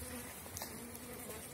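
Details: Honey bees at an apiary hive in April, a small-cell 4.9 colony in full strength during spring build-up; a steady low humming buzz with a harmonic band, fairly loud throughout.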